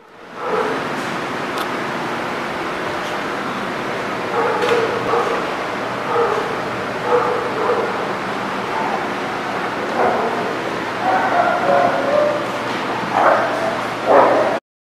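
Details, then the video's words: Dog barking, recorded 18 October 2019: scattered short, sharp bark bursts around five, ten and thirteen to fourteen seconds over a loud, steady broadband background rumble. "The Barking Lot"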